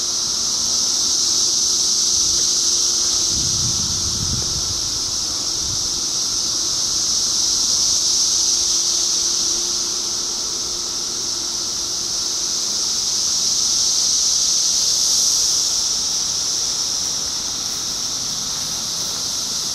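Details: Cicadas in 2013 form a loud, continuous shrill droning chorus, steady in pitch and slowly swelling and fading in waves, with a faint low rumble near the start.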